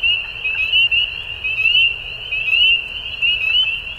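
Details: Frogs at dusk keep up a shrill, continuous trilling chorus with rhythmic surges in loudness, short rising chirps overlaid on the drone, and a dim rumble underneath.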